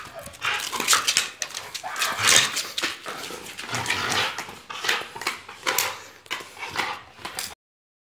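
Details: Dogs making a rapid run of high whimpers, yips and short barks, bursts following one another throughout with no pauses, ending abruptly.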